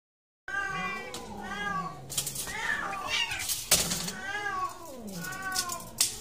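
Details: Domestic cat during mating behaviour, giving repeated drawn-out meows with arched, wavering harmonic contours, several calls in sequence, with bursts of broadband noise between them.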